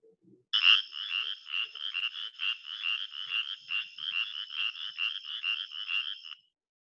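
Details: Spotted chorus frog from the Southeast Texas (Houston) area giving a rapid run of raspy, pulsed trills repeated steadily, a classic frog call.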